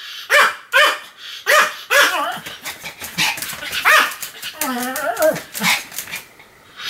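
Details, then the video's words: Continuous barking from Sam, a Pomeranian, filmed 7 October 2015: shrill, rapid yaps in a quick series, then a drawn-out whining, wavering bark midway before more short yaps. "犬の鳴き声 ポメラニアン サムの連続吠え"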